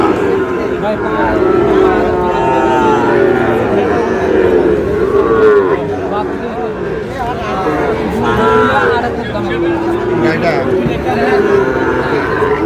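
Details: Sahiwal bull calves at a cattle market, bought by a Noakhali farmer on 16 August: drawn-out, low moos swell and fade over steady crowd chatter, with traders' shouting voices throughout.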